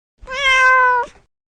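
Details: Domestic cat giving one long, level meow with bright layered overtones, sustained just under a second before a short soft release, heard cleanly against silence.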